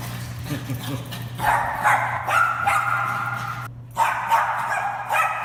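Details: An excited Bichon Frise off the leash in a garage barks in quick, high, yappy bursts at another Bichon still on its leash, over a steady low hum; the barking lasted about 15 minutes.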